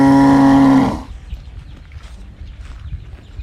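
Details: Young calf searching for its mother, giving one short low moo lasting about a second that cuts off abruptly, followed by quiet rustling farm background.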